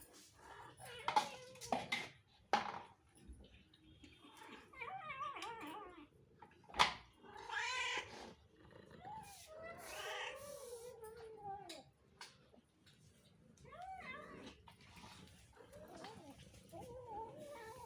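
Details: Several cats asking for food, giving a string of short, rising and falling meows with a few louder cries, mixed with sharp clatters and brief human speech in a small indoor room.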